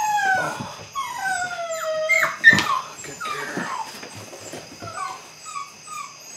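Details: Eight-week-old Belgian Malinois puppies from the Android Whiteline Czech x Mason's AnnieLou litter, beginning bite work, whine in thin descending whistled whimpers that slide downward and repeat in overlapping runs from several pups.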